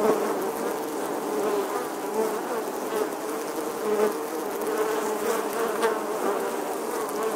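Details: Honey bees swarming about a nest in an old English church wall in summer, August 2020, giving an unbroken, steady, mid-low buzzing hum of many wings with gentle rises and falls.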